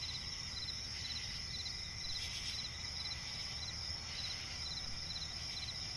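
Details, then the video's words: A night chorus of crickets in a forest swamp. Rapid, high-pitched pulsed chirps repeat in quick bursts over a dense, continuous trilling layer, with a faint low rumble underneath. "cricket chirping relaxing sound in night forest"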